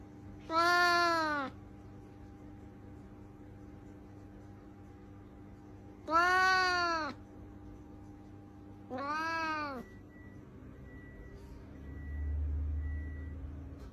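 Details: Domestic cat giving three long, drawn-out meows, each rising then falling, spaced a few seconds apart, over a steady low electrical hum; a faint repeated beeping tone follows the last call.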